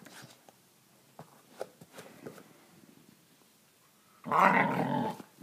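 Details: Australian Kelpie making a funny noise indoors: after several seconds of quiet taps and clicks, one rough, grumbling growl lasting about a second near the end.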